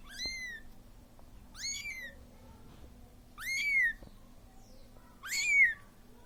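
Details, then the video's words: Lonely Siamese kitten calling to the mother that left it, giving four plaintive meows that rise then fall, the last two loudest, spaced about 1.7 seconds apart in a quiet room. "صوت قط صغير السيامي .. ينادي على امه التي تركته وحيدا"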